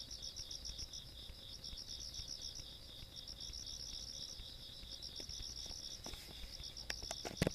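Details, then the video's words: Rural night insects chorus on 17 August 2022: high, rapid pulsed chirping in two shrill bands that thins out toward the end, where a few sharp clicks and knocks break through the low background hum. "시골밤 벌레소리"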